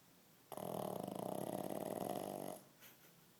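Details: Pet dog asleep indoors, giving a single drawn-out snore of about two seconds with a rapid rattling pulse and a harsh, even texture that fades into near silence.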